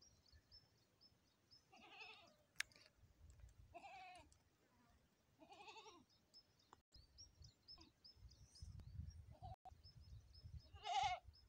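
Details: Goat during a premature birth giving short quavering bleats about every two seconds, with a steady faint high tone and some low rumbling noise underneath, a louder bleat closing.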